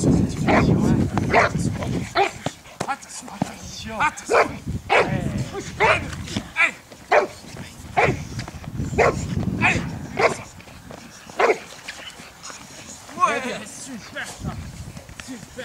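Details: Boxer dogs training outdoors for breed character tests at a canine education centre: sharp barks repeated roughly every second, mixed with a man's loud French commands and praise.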